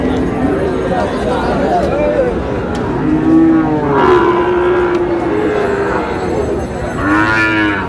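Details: Sahiwal bull calves at a cattle market where a Dhaka farmer buys, recorded 16 July: drawn-out, harmonic moos rise and fall, loudest near four and seven seconds, over a constant crowd murmur and men bargaining over prices.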